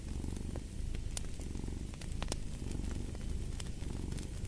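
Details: Low, pulsing purr from a cat, rough and continuous with slight swells, overlaid by irregular crackling and a few louder snaps from a burning fireplace.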